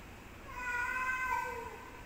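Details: Cat fight: a sustained, harmonically rich yowl holds a steady moaning pitch, swelling slightly and sagging at the end, lasting about one and a half seconds.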